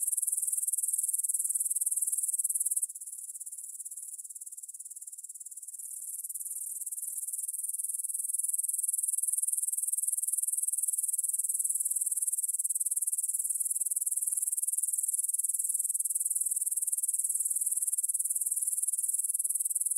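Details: Evening chorus of grasshoppers, taped at 9 pm on 6 September 2020 in a field by the Svensky monastery, Bryansk, Russia, with a Tascam DR-44WL: unbroken high-pitched shimmering trill, softer for a few seconds early on before returning to full strength.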